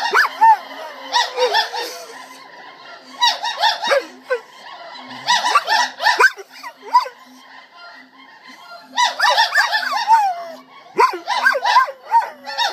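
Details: Gibbons at a gibbon center sing in rising and falling whoops while the center's guard dog, attached to them, howls and yelps along.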